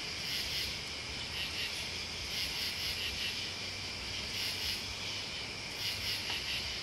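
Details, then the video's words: Shrill, ringing chorus of crickets and bugs, steady high trills rising into louder bursts at irregular intervals, above a faint low rumble. "Listening to Crickets and Bugs"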